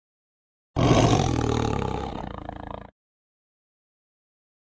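A tiger lets out a single powerful roar, deep and gravelly, starting loud and tapering off over roughly two seconds. A brief snatch of another sound begins just as the clip ends.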